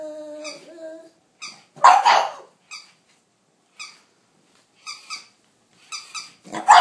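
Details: Yamada the pug in a face-off with a capybara, recorded on an iPhone 4S: a soft whine at first, then single yapping barks spaced about a second apart, with one louder harsh burst.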